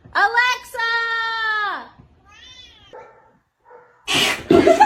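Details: Domestic cat giving a long, steady, harmonic-rich meow that holds level for over a second before sliding downward, followed by a shorter, softer meow; a loud burst of broadband noise closes the clip.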